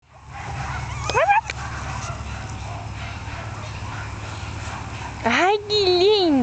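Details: One-month-old female Jack Russell Terrier puppies: a short rising squeak near the start, then a long steady hum of background noise, and finally a loud wavering high whine that dips and rises twice.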